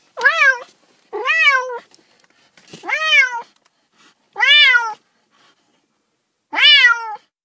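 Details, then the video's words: Domestic cat giving five clear, drawn-out meows, each rising then falling in pitch, separated by short silent pauses in a quiet setting. "30 minutes of Cats' Meow"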